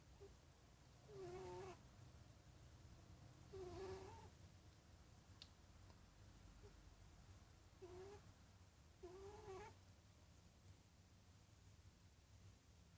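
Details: Domestic cat making odd sounds: four short, nasal, wavering calls with stacked harmonics, two around one second and two near eight to ten seconds, over a low steady background hum.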